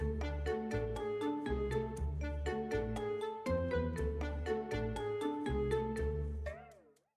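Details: Bright, rhythmic music with chiming tuned percussion over a steady bass line, with no animal sounds. A wavering electronic tone closes the passage before it fades out.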